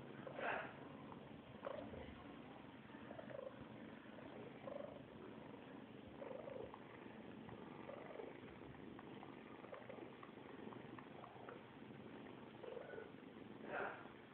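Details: Purring from kittens as they drink milk: a soft, even rumble throughout, broken by quiet, short murmuring sounds every second or two and a sharper noise near the start and again at the end.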